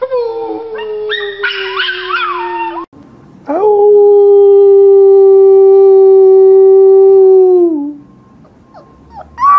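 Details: Puppy howling: a wavering, slowly falling howl for nearly three seconds, a short break, then a long, loud, steady howl held for about four seconds before dropping away at the end.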